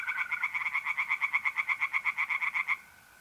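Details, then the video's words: Tree frogs singing in a pond on an April night in north-east Italy: a fast run of about seventeen sharp, nasal pulses in under three seconds, over the steady high trill of a mole cricket that carries on after the frogs stop. "relaxing singing tree frogs in pond and trilling mole crickets by night"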